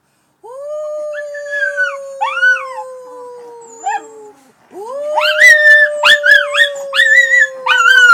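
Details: Pet Miniature Schnauzers howling together in chorus: long steady tones near the same pitch, one voice slowly sliding down, joined by wavering higher howls; after a short pause a second round starts with sharper yipping notes layered over the sustained howl.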